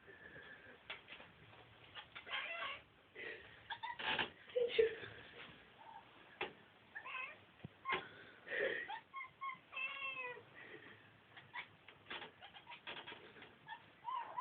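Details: House cat hunting a fly up by the top of a door, making broken, stuttering meows and chirps in short bursts, with quieter rustling between calls.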